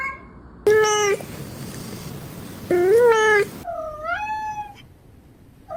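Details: Cat giving three loud, drawn-out meows with bending pitch, the last one dipping and then rising, with abrupt edited breaks between calls and near silence in the gaps.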